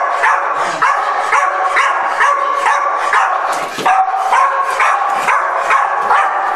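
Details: Pit Bull named Patch, whose reactivity flares at the simple sight of other dogs, letting out a continuous stream of loud, rough barks, roughly two per second, with barely a pause between them.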